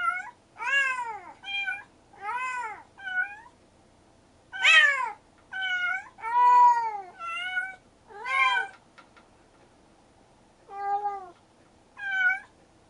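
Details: Stray kitten brother and sister, Mugi and Choco, rescued together, trade a rapid run of around a dozen arching meows, some overlapping like a duet, then a brief pause before two final calls.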